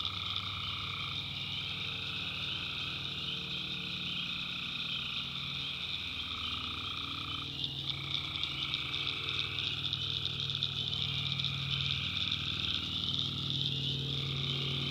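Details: Night chorus of tree frogs in a North Carolina swamp, many overlapping pulsed calls repeating rapidly, bands of tone switching on and off in turns, over a constant high shimmering background and a low hum.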